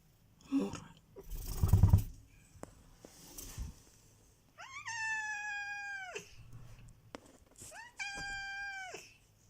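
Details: Cat, described as very affectionate, being talked to and coaxed to speak, answers with two drawn-out meows, the first near six seconds and the second near eight, after a woman's voice and handling noises.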